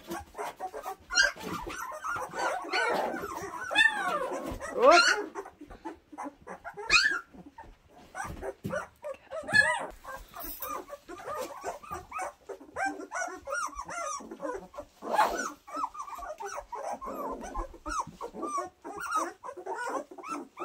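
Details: Two-week-old puppies from April and Enno's litter, a busy chorus of overlapping squeaky whimpers and whines with arching pitch, some louder yelps near five and fifteen seconds, and soft rustling between the cries.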